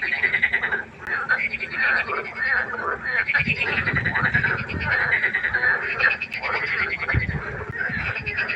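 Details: A pond at night alive with frogs: an almost unbroken chorus of rattling, buzzy croaks with little pause. Low rumbling noise breaks in around the middle and again near the end.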